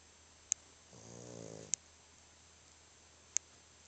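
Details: A dog, so tired it snores while sleeping, gives one rough, rattling snore lasting under a second, built of fast pulses, amid sharp clicking ticks in a quiet small room.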